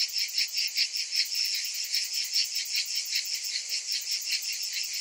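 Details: Several cicadas buzz together in summer, a bright, sizzling drone with rapid regular throbs, about two and a half per second, and no other sounds.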